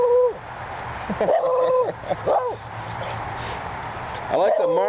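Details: The neighbours' visiting beagle sings in front of Mango the mastiff and Dexter the labrador. Several short, bending howls come in quick bursts, each swooping up then falling, with quieter gaps between over a steady hiss.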